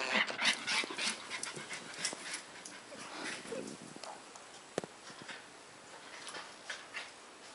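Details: A pet Border Collie named Leroy breathes in quick, breathy bursts, a rapid run of soft huffs and sniffs repeating several times a second, loudest in the first second and fading to quiet room noise.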